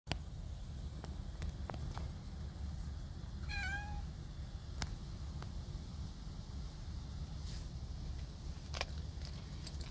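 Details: A domestic cat, spoken to as it seems hungry again, gives one clear, tonal, wavering meow midway, with faint clicks and a steady low hum around it.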